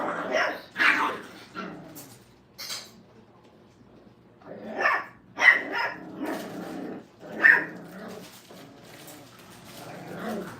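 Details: Brittany puppies, five weeks old, in crate training at a kennel. Short, sharp barks and yelps come in irregular bursts, with a quiet gap in the middle before more spaced, high-pitched barks return.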